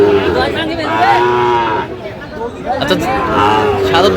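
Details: Sahiwal bull calves for sale at the Aftabganj cattle market, 16 August 2025, with buyers from Dhaka: a drawn-out, low, harmonic moo swelling for about a second, then a second shorter lowing, over crowd chatter and bargaining voices.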